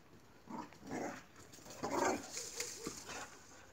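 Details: Playing Boxer dogs give a run of short gruff barks and yelps. One strong, ringing bark comes near the middle, and a few thin whiny notes follow toward the end over a faint background hiss.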